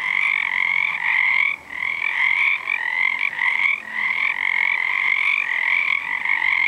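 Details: Dense chorus of many frogs, probably Pacific tree frogs though unseen, on a full-moon night in February 2011 near a sauna; overlapping rapid raspy croaks merge into a continuous pulsing wall of sound with brief dips.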